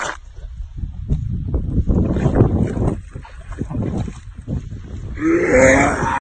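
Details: A Labrador/Golden Retriever coming out of a swampy lake chokes and gags, making a run of deep, irregular gagging grunts and gulping throat noises.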